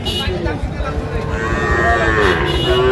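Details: Sahiwal cattle at a calf market in Faridpur, Bangladesh, on 17 March 2025, where small bull and heifer calves are sold; a low, drawn-out lowing rises near the end over steady market hubbub and voices.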